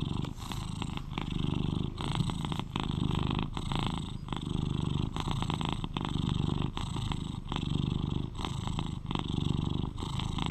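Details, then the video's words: Eleven-year-old British Shorthair cat kept as a companion, purring loudly at close range: a steady low vibrating drone with breath-like rhythmic pulses, overlaid by frequent soft rustling and clicking from fur or handling. "Sweet Cat Purrs to Lull You to Sleep"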